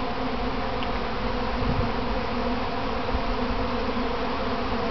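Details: Kept honey bees in a practice swarm, heard from the middle of the cloud: a thick, unbroken droning buzz of countless bees, even in loudness, with a faint brief thump partway through.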